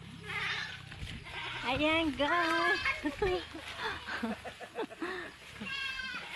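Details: Farm goats in a pen in the rural Philippines give wavering, nasal bleats that rise and fall, heard over people talking in Filipino and background music.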